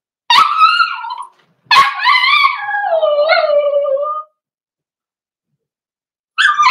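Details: Four-week-old Cavalier King Charles Spaniel puppies in an indoor puppy pen, socialising with other dogs. High, tonal whimpers and whines, a short cry then a longer wavering one sliding downward, with a fresh whine starting after a pause.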